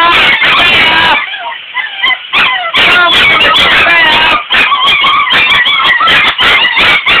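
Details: Puppies unhappy about getting a bath give high, wavering whines and short yips in irregular bursts, while a person keeps talking soothingly over them.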